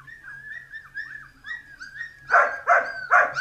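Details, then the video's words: A Dalmatian puppy playing makes a string of thin, wavering whines, then breaks into three loud, evenly spaced yaps near the end, with a steady low hum underneath. "Filhotes de Dálmatas brincando"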